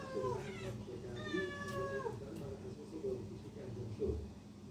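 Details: Cat meowing: two drawn-out, clearly pitched meows that slide downward, the second longer and steadier, followed by softer short vocal murmurs over a low steady background hum.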